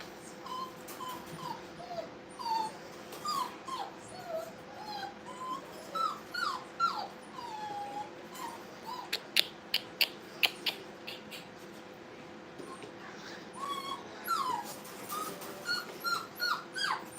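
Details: Several Brittany puppies playing at a kennel make many soft, squeaky whimpers and short rising yips, scattered over a quiet room with faint clicks and scuffling.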